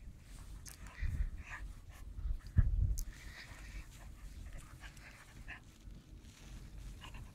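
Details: Young German shepherd puppy, 49 days old, tugging at a sleeve; airy pants and huffs come in irregular bursts, with loud low thuds of scuffling around the middle.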